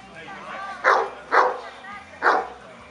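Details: Kuvasz at the 5th Kuvasz club show in Kishegyes (Mali Iđoš), 2017, giving three loud, deep barks roughly half a second to a second apart over a steady background of crowd chatter.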